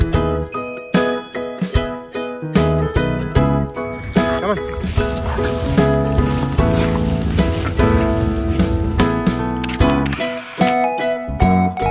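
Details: Upbeat music with jingling bells and steady percussion fills the recording, with no animal voice heard.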